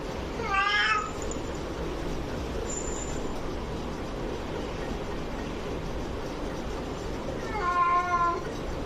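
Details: Domestic cats during a live fight, giving two short harmonic meow-like wails, one near the start and another near the end, separated by a long stretch of steady background hiss.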